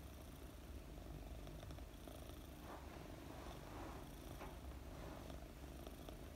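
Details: Gentle, rumbling purr of a female British Longhair kitten, Mooni, four months old, being petted as she sleeps; the low drone holds level while soft swishes of stroking come and go.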